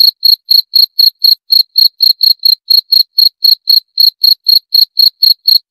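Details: Steady cricket call: bright, shrill pulses repeated about four times a second without a break, in complete quiet otherwise.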